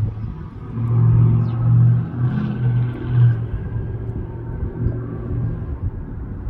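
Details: A low engine rumble and outdoor hum continue throughout, with no distinct animal call.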